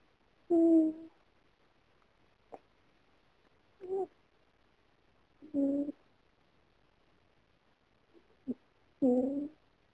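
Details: Female cat snoring in her sleep while dreaming that she is running away; four short nasal, harmonic bursts come at uneven gaps of one to three seconds, with faint soft clicks between them in a quiet room.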